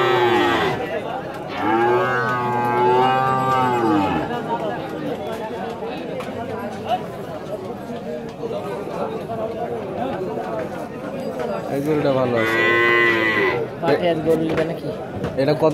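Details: Holstein Friesian cattle in a Rajshahi city market, Bangladesh, lowing twice, a long rising-and-falling moo near the start and a shorter one later, over steady crowd chatter and people talking.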